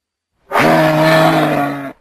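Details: A single moose call about one and a half seconds long, a steady, buzzy, low moan rich in harmonics that holds an even pitch and stops abruptly.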